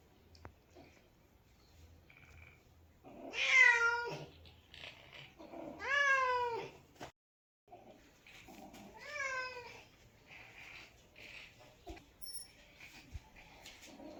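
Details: Domestic cat giving three drawn-out meows, each rising then falling in a wavering, harmonic-rich wail, spaced about three seconds apart, with quiet gaps and faint room noise between them.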